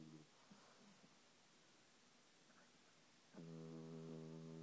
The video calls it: French Bulldog Snore